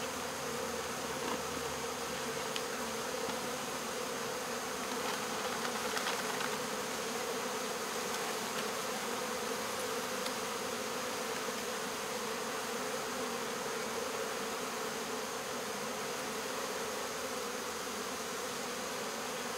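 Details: Honey bee swarm during removal from local baseball fields: loud, unbroken buzzing of many bees, a thick, steady hum with no pauses.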